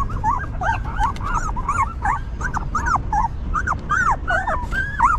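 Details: Newborn puppies with their stray mother dog as she cares for them: steady run of thin, rising-and-falling whimpers, about two per second, over a low rumbling background.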